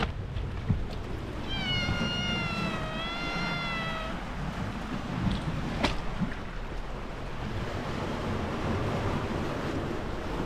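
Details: Stray cat at the sea, in stray cats' territory, voicing one long wavering meow that rises slightly then falls, over a constant roar of waves and wind, with a sharp click near the end.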